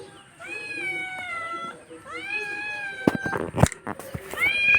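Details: House cat making two long, level meows followed by a third rising one, with clicks and rustling handling noises between calls and a person speaking Hindi nearby.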